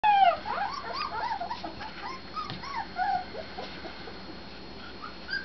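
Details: Husky puppies whimpering and yipping: a chorus of short, high, arching whines overlapping from several pups, loudest at the start and tapering off over about five seconds.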